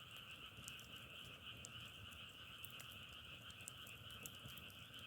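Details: Continuous croaking of many frogs merges into an even, pulsing drone with a brighter upper band, punctuated by the frequent sharp snaps of firewood burning.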